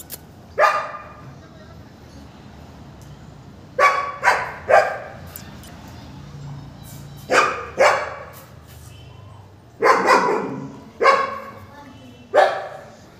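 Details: Male German Shepherd puppy in Gurugram barking in bursts of two or three sharp barks, with pauses of a few seconds between bursts, over a low steady background hum.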